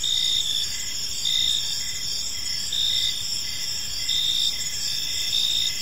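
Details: Crickets chirping on a peaceful park evening, a steady high-pitched trilling chorus with pulses repeating roughly every second, several layered callers at different pitches over faint low background hum.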